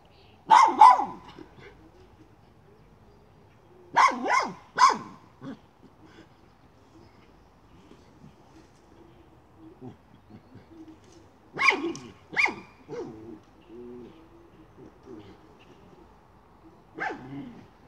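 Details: While hunting a chipmunk, a miniature schnauzer lets out bursts of two or three quick, harsh barks, repeated four times a few seconds apart, with softer scuffling sounds and low background between bursts.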